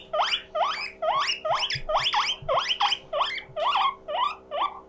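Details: Guinea pig kept as a pet wheeking loudly out of loneliness: rising, squeaky whistles in a rhythmic string, roughly two to three per second, fading slightly toward the end over a faint background hum.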